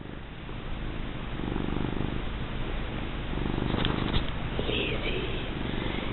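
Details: Lizzie, a big, fat female domestic cat, purrs steadily while being rubbed, a low rumbling throb that swells and fades with each breath.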